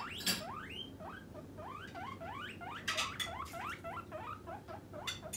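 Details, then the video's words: Pet guinea pig demanding food when hungry before snack time: a long, insistent series of roughly twenty rising whistled wheeks, several per second, each swooping upward, mixed with sharp rustling and clicking sounds. "モルモット 鳴き声【お腹が空いた時はこう鳴きます】Guinea pig demanding a man"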